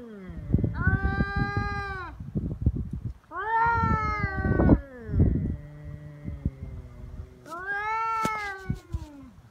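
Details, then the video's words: Two feral cats in a serious fight on 22 February, Cat Day in Japan: three arching, nasal yowls several seconds apart, separated by low growling rumbles and scuffling. "猫の日ガチ喧嘩「威嚇で相手が引かない噛みつきや猫パンチに発展」野良猫 Cat Fight"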